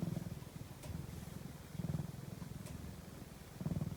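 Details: Sleeping house cat purring, a soft low-pitched throbbing drone with rapid pulses, rising in loudness near the start, around two seconds and near the end, following its breathing; a couple of faint clicks in the background.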